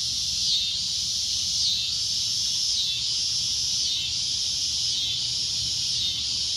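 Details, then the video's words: Shrill cicada drone, loud and high, pulsing in gentle swells about once a second with small dips in pitch, the buzz continuing without a break. "CICADA A Loud Shrill Droning Noise"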